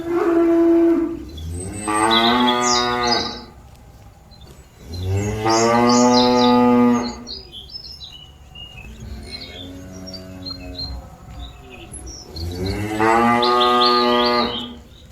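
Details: Cattle mooing to call its herd mates back to the pen, four drawn-out moos spaced a few seconds apart, the third softer and more distant, with small birds chirping faintly throughout.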